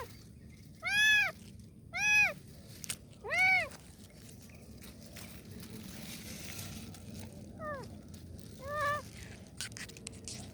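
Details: Kitten crying for help with three loud, clear, arched meows at about one-second spacing, then two fainter, shorter meows after a quiet pause, over low rustling.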